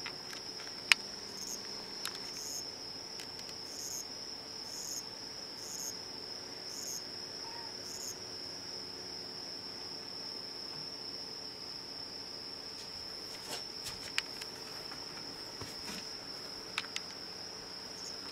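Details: A small cricket near a home chirps in a steady, high, ringing trill without a break while a cat nearby calls too.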